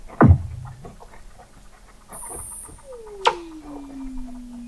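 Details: A Weddell seal calls beneath the thick sea ice of McMurdo Sound, Antarctica, in November 2017, picked up by an observatory 21 m under the ice: a sharp low thump, then a long whistle gliding slowly downward over clicking background.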